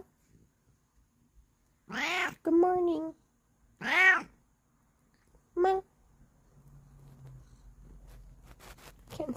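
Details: Bengal cat meowing: four loud, arching, harmonic-rich meows, each under a second long and spaced a second or two apart, followed by quiet rustling and a person's voice.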